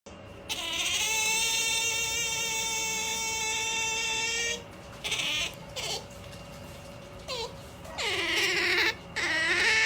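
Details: Otter MaiJi, a female, makes a pampered noise as she is about to sleep: long, steady, high-pitched whining squeals with rich harmonics, one sustained for nearly four seconds, then shorter broken whines and a final rising squeal.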